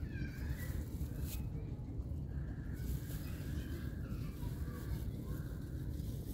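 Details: Domestic cat at feeding time with canned food gives drawn-out, harmonic meows: one early, then a longer wavering series in the middle. A heavy low rumble of background noise runs throughout.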